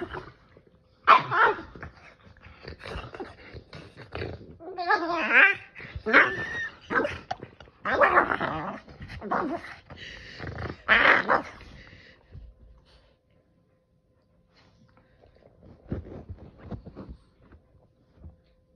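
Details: Boston Terrier playing with a Keeshond, giving bursts of rough, rolling growls mixed with barks and wavering grumbles over about twelve seconds, then fading to quieter, scattered huffs and small whines.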